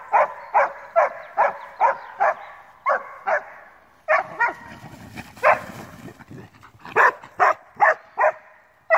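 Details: Male Alpine Dachsbracke on his first encounter with wild boar, barking for about thirty minutes: quick sharp barks in series, broken midway by rustling and crashing through brush before the barking resumes.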